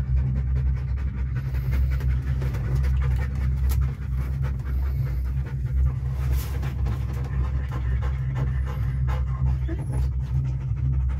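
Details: Panting Deutsch Drahthaar inside a cable car: continuous quick rhythmic breaths with the tongue out, heard over a strong steady low rumble of machinery.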